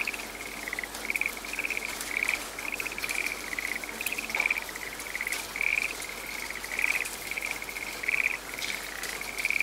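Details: A frog calling in a rainy forest: short raspy trilled notes repeated about once a second in a steady series, over a continuous hiss of rain.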